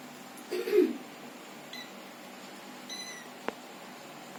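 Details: Kitten learning to walk gives one short mid-pitched meow near the start. Faint high whistling tones, a sharp click and a final knock follow in a quiet indoor room.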